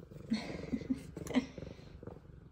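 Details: Two F2 Savannah cats purring and meowing while greeting their owner returning home from work; continuous rhythmic purr with short chirpy meow bursts, one louder at mid-point, indoors.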